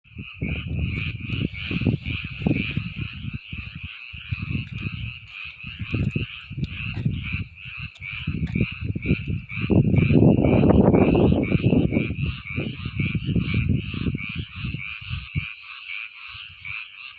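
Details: Frogs calling together in a dense chorus, their pulsed, trilling croaks running without a break through the whole recording, partly covered by loud low rumbling bursts like wind or handling noise.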